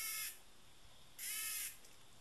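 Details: Tame cicada producing two harsh, bright buzzing bursts of about half a second each, separated by a quiet gap, with low background noise.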